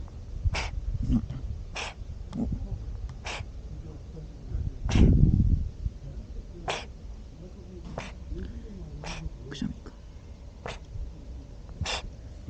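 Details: A cat on a Japanese cat island, filmed on a 360-degree camera, sneezing repeatedly without stopping: short sharp bursts every second or so, with a man's quiet voice and outdoor rumble.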